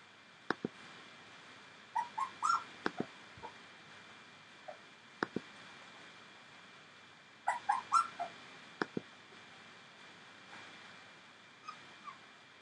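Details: Entlebucher Mountain Dog puppies of one litter at 19 days old give short, high squeaky whimpers in scattered bursts, clustered near the start and middle, with sharp clicks between them over a quiet background.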